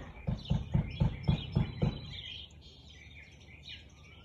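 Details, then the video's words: Siberian Husky recorded on 13 March 2021 at 4:17 pm, letting out a quick run of seven sharp barks roughly a quarter second apart, then falling silent while small birds keep chirping in the background. "Husky barking"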